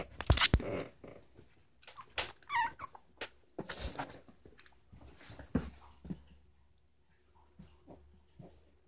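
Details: Miniature schnauzer singing along to "How Much Is That Doggy in the Window" at home; a series of five or six tonal howls, each starting with a sharp yelp-like attack then held or sliding downward, with short gaps between them.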